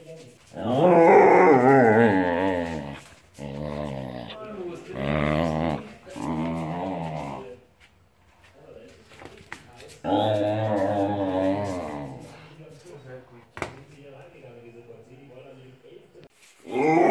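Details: A male Vizsla gives long, moaning growls that rise and fall in pitch, a contented grumble and "singing" rather than a threat, voicing joy when his family pack is together, a kind of pack howling.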